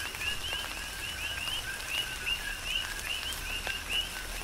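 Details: Coqui frogs in a rain shower on Hawaii's Big Island, several calling together with quick upward-sweeping chirps every fraction of a second, over a constant hiss of rainfall and sharp raindrop taps.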